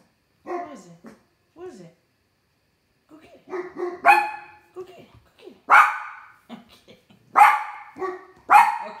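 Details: Two house dogs bark on a summer night, one on the deck at something and the other inside; loud, clipped barks in irregular bursts, a few quieter at first, then stronger ones about every one and a half seconds.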